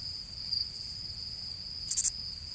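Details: Cricket with a steady high, thin ringing tone throughout, broken near the end by one loud, sharp burst of three quick chirps; faint low background hiss.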